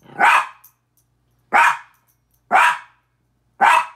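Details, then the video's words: Pet min pin Petey confronting his mirror image with four forceful, high-pitched barks, the first followed by a long gap, then three more in quicker succession about a second apart. "Minature Pinscher barking"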